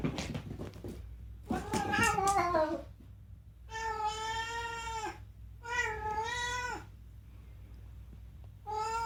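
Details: Unagi, a rescued pet cat in Japan known for talking, calls out in a home: a breathy, rapid chattering meow followed by three long, drawn-out harmonic meows, each steady then slightly falling, with short pauses between.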